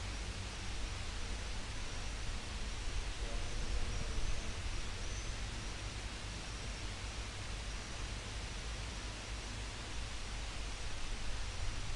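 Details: Steady broadband hiss and low rumble, like wind or handling noise, with no clear animal calls.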